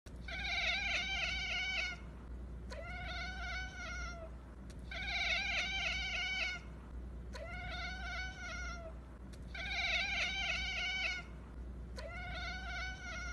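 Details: Kittens calling, a run of six long, drawn-out harmonic meows, each about one and a half seconds, repeated roughly every two seconds with a steady low hum beneath.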